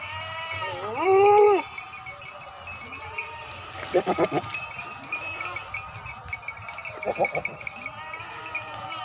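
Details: Beetal goats at a farm in Bhasaur, Sangrur district, Punjab, India: one loud wavering bleat early on, then quieter broken bleats and scattered farm noises over a steady background hum.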